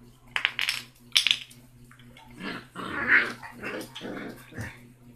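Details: Six-week-old basset hound puppy named Rocky, the smallest and loudest of a litter of six, scrapping with siblings; short rough growls and grumbles after a few sharp clicks and knocks early on, with low background hum.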